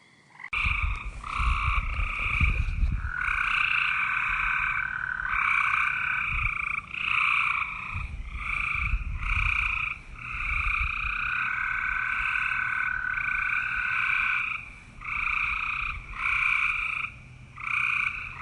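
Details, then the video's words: Green frog croaks run almost continuously in long buzzy stretches with a strong higher band, broken by brief gaps, while low thumps and rumbles sound underneath. "KATAK HIJAU || KATAK || KODOK || SUARA KATAK MERDU"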